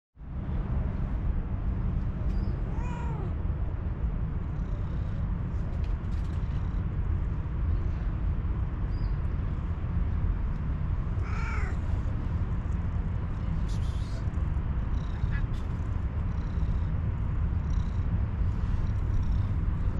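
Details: Hungry furry calico cat, waiting for food since morning, lets out two drawn-out, wavering meows about eight seconds apart, nearly buried under a constant heavy low rumble.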